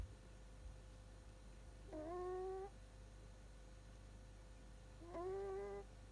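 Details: Shiba Inu puppy snoring while asleep indoors. Two squeaky, whistle-like snores sit over a low steady hum, each slightly rising and lasting under a second, about three seconds apart.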